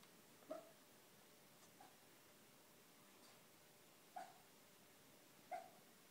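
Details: Pet schnauzer barking in his dreams indoors: three soft, muffled woofs, widely spaced and irregular, with a faint room hiss between them.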